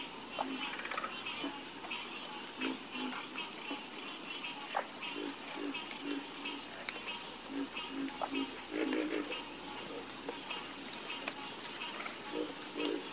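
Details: Frogs croaking in a nighttime chorus: short, low, throaty croaks come in clusters through the clip over a steady, high-pitched insect drone.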